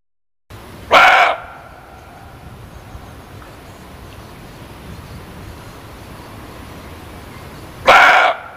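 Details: Muntjac (kijang) giving two short, loud, harsh barks about seven seconds apart, each under half a second, over a quiet steady hiss of background noise.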